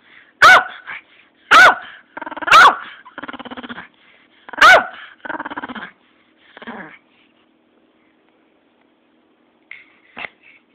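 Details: Pet Pomeranian called Cappi barking four loud, sharp, high barks about a second apart, mixed with rough growling rumbles between them, then trailing off to silence and two faint whimpers near the end.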